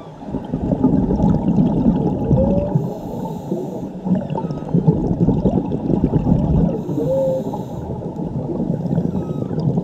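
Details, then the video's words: Underwater recording in Mexico of whale song attributed to a mother and her calf: short tonal squeals near two and seven seconds rise above constant low crackling, gurgling water noise. "Whale songs by mother and her cub"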